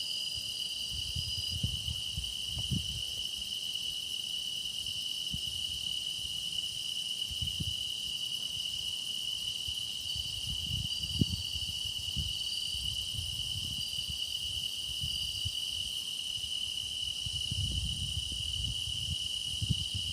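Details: Grass insects singing in a dense, unbroken chorus: one steady, piercing high tone runs throughout, with fainter shimmering trills layered above it and soft low rumbles drifting in underneath.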